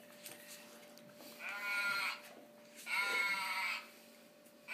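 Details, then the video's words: A female Golden Retriever, in what are her first vocalisations, gives two drawn-out, wavering, tuneful howls, each lasting under a second. "Aisha - the golden retriever singer"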